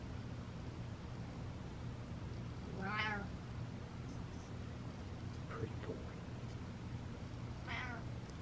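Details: Butters the cat letting out two separate meows about five seconds apart, the first louder and arching, the second fainter, amid a constant low hum and a few small clicks.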